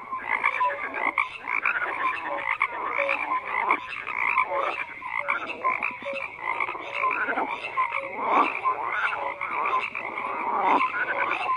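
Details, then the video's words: Dense chorus of many frogs croaking together, overlapping rasping croaks and short whistled notes in steady waves, strongest in a mid-to-high band, with no other clear sounds. "FROGS CROAKING"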